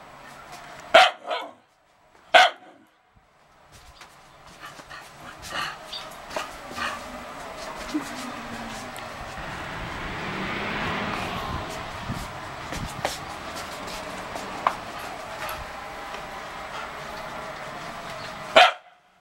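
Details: A complaining dog, recorded with a PowerShot SX260 HS camera, gives two sharp barks near the start and one at the end, with softer grumbling vocal sounds in between over steady background noise.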